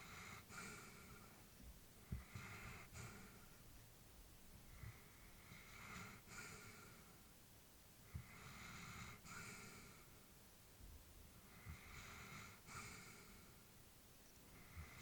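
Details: An elderly female Labrador Retriever sleeps peacefully, breathing in slow, raspy, snore-like breaths about a second long, every few seconds.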